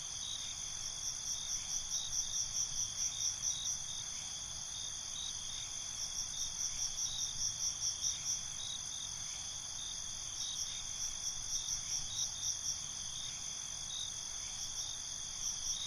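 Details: Crickets at night, a chorus of high, shrill pulsed trills in bursts of a few seconds with short pauses, over a steady ringing insect drone and faint low background rumble.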